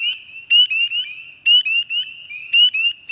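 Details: Spring peepers in the Mont Saint-Hilaire Biosphere Region give high, clear, upslurred peeps in spring. One calls, others answer behind it, and they overlap into a shrill pond chorus that carries for kilometres.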